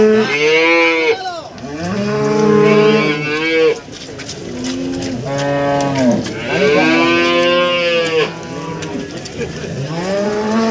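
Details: Cattle at an East Java cattle market in Nganjuk, Indonesia, where breeding cows and cows with calves are traded and a cow is described as agitated: repeated loud moos, some rising then falling, coming close together and partly overlapping, with crowd noise behind.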